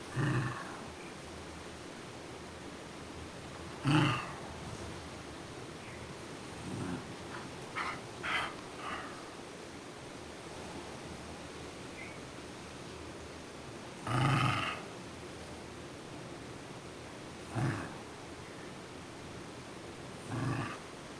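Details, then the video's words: Scottish Terrier named Duffy, a pet dog, asking for breakfast: scattered short grumbling moans and snorts of uneven length, about six spaced over twenty seconds, with quiet room noise between them. "Scottish Terrier asking for food!"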